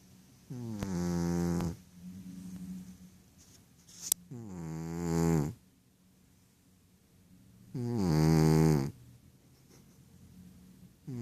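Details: Rohan, a male Ragdoll cat, asleep and dreaming; three loud, rasping harmonic snores come at about three-and-a-half-second intervals, with quiet breathing between them and a sharp click near the middle.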